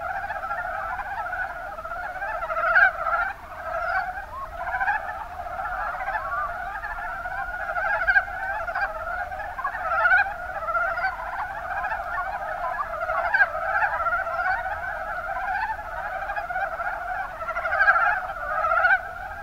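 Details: Many Mountain brown frogs (Rana ornativentris) calling together in the Kuma Basin of Kumamoto, Japan; continuous low chattering croaks overlap throughout, with sharper individual notes popping out at irregular intervals over the steady background.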